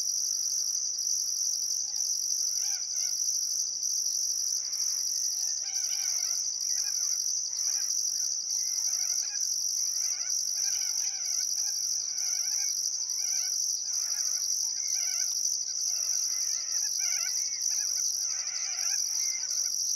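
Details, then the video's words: A continuous high-pitched cricket drone with regular pulsed chirps, recorded at sunset on the Barcoo River in Welford National Park, Queensland outback, in summer; faint bird notes flicker in the background. "Australian Sunset Chirping Crickets"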